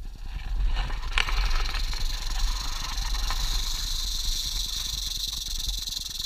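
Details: Western diamondback rattlesnake met on a hike at Wichita Mountains Wildlife Refuge, southwest Oklahoma, filmed on a GoPro on a selfie stick: a steady, high, hissing buzz holds on unbroken, over heavy low wind rumble and handling noise.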